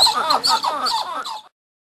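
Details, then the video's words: A copper titi monkey (Callicebus cupreus) gives a quick run of squeaky, rising-and-falling notes in a brief chattering burst. "Vocalización de monos tocones o zoguis"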